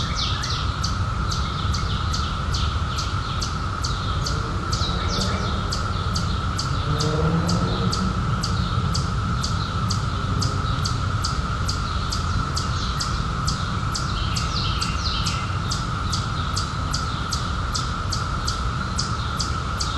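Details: Cicadas, emerged in 2021 after 17 years underground, in a summer night setting: a steady, unbroken buzzing drone runs throughout, overlaid by sharp high chirps repeating about four times a second above a low background rumble.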